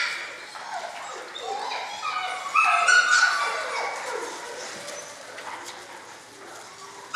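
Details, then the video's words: Litter of six-week-old German Shorthaired Pointer puppies, several overlapping high whines and yips with rising and falling pitch, loudest burst in the middle, a sharp knock at the very end. "German Shorthaired Pointers Sevens Litter at 6 Weeks old"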